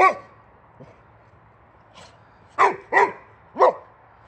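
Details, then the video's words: Swedish boxer male Rex going crazy over a wheelbarrow tire: sharp broadband barks, a softer one then three loud ones in quick succession about every half second toward the end, steady low hum underneath. "Crazy Boxer Dog Angry At The Tire On A Wheelbarrow"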